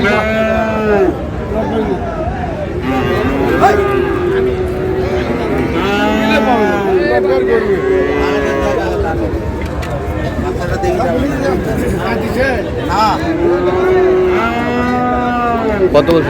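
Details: Friesian and crossbred bull calves at Ambari cattle market in Dinajpur, Bangladesh, on 9 August: repeated drawn-out moos with rising and falling harmonics over constant crowd chatter and bargaining voices.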